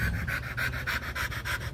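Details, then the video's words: Rottweiler panting during mating, with quick, even, breathy huffs, about nine in under two seconds, and nothing else heard. "rottweiler dog mating process"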